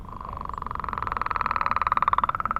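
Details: In the morning at a millrace, many frogs give their mating call; one gives a long, even trill of rapid pulses that swells slightly louder and rises a touch.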